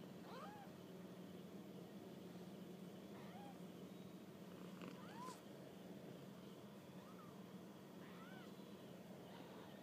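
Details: Kittens out on their first walk about mew repeatedly, thin rising-and-falling cries every second or two, some doubled, over a constant low background hum.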